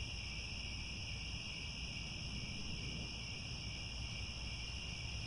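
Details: Sunset in Cambodian grassland near Angkor Wat, where many crickets keep up an even, unbroken high-pitched trilling drone over a persistent low background rumble.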